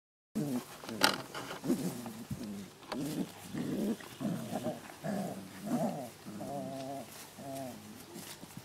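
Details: Puppies playing, recorded 27 July 2012: a run of short, rough growling bursts with tonal whiny harmonics, some rising and wavering. Human voices are faintly mixed in.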